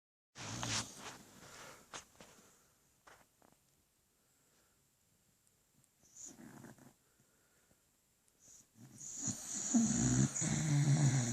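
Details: Sleeping beagle snoring indoors: low, rasping snores arrive in bursts separated by quiet pauses, with a louder, rougher run of snorts and wheezy breaths building toward the end.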